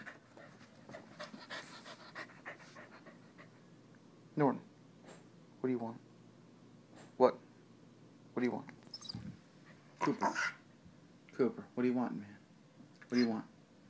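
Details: A male corgi gives short, moaning, grumbling bursts every second or two, each wavering up and down in pitch like a reply, while a man's voice keeps asking him questions in between.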